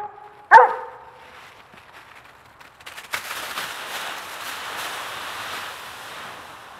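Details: One of two dogs romping in a raked leaf pile; a single sharp bark early on, followed by steady crackling and rustling of dry leaves as the dogs dig and tumble.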